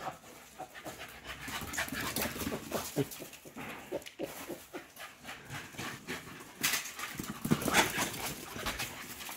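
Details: Fit Patterdale black fell terriers, sporting hunting dogs named Estacado and Obscura, panting after chasing: rapid, breathy, noisy bursts about four per second, uneven in rhythm, with louder gasps near the end.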